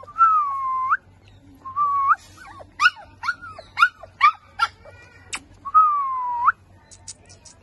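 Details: A 35-day-old cream-white Chow Chow puppy gives long, tonal whines that dip and rise, with a burst of short yelps.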